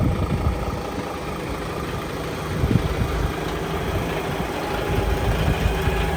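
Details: Steady low engine rumble and idling vibration throughout, with no animal voice heard.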